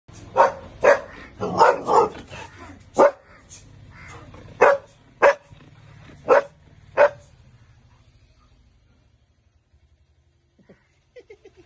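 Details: Female Belgian Malinois barking after guarding the gate against an intruder who turns out to be her playmate, then returning to alert her owner. Sharp, loud barks, first in a rapid cluster, then spaced about a second apart, fading into quiet with faint soft whines at the end.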